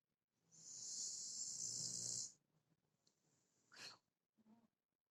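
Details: Snoring Shar Pei: one drawn-out raspy, hissing snore with a low rumble lasting about two seconds, followed by quieter snuffles and a short sharp sniff.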